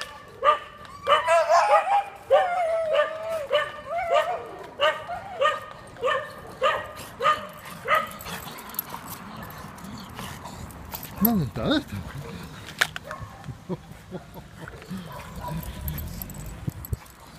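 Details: Neighbours' Dachshunds bark in a steady run of loud yaps, roughly two per second for eight seconds. They then fade to scattered, quieter barks with faint background rumble.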